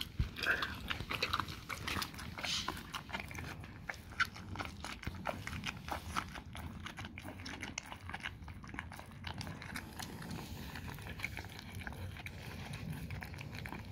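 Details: Dog steadily chewing raw cow tongue. Dense, continuous crunching and squelching bites run unbroken through the clip, with occasional louder snaps at the start.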